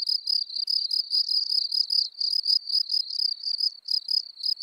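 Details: Gryllus campestris, the field cricket, recorded in Elsbethen, Austria, 24 April 2020: bright, shrill chirps of a few pulses each, repeated about three to four times per second in a steady rhythm, clean background.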